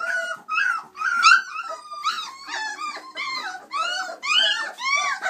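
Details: Chocolate Labrador Retriever puppies, 26 days old, a litter of six playing and climbing out of the whelping box: overlapping high squeaky yelps, whines and little growls, arched in pitch, coming in quick bursts about every half second, indoors.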